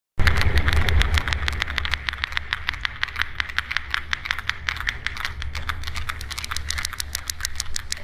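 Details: Sperm whale (Physeter macrocephalus) produces coda and echolocation clicks: sharp, broadband clicks in rapid, uneven trains over a low underwater rumble.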